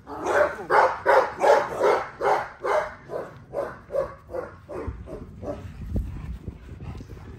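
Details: XL American Bully barking during exercise, a fast run of about twenty loud, harsh barks that start strong and steady, then fade and slow toward the end, ending in quieter low thumps.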